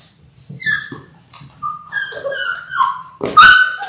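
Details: Labrador Retriever puppies in their sixth week, one of six littermates born January 18, 2022, filmed indoors on February 28, whining in drawn-out tonal whimpers that slide up and down, ending in a sharp high yelp.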